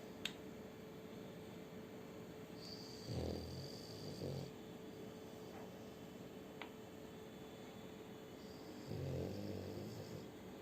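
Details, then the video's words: Shturm, a French Bulldog, snores beside a new ball he snatched from children on the street. A pair of deep, rasping snores sounds midway and again near the close, with faint clicks and low room hum between. "Французский бульдог Штурм Храпит с Новым Мячиком"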